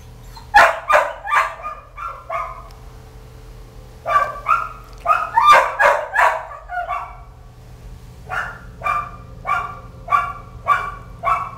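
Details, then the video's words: Kelpie puppies calling in a litter, giving series of short high yips and barks in bursts of three to six, separated by brief pauses, with a steady low hum underneath. "Kelpie Pups!"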